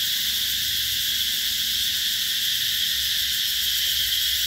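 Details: Vietnamese summer cicadas, Mỹ Luông in Chợ Mới, An Giang, 2021, singing as a continuous high-pitched whirring wall of sound, even and unbroken from start to finish.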